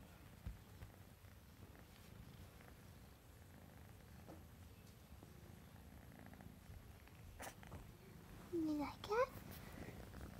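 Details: Male sable classic tabby tuxedo RagaMuffin cat purring indoors: a steady, low rumbling purr runs throughout, with a brief rising human voice near the end.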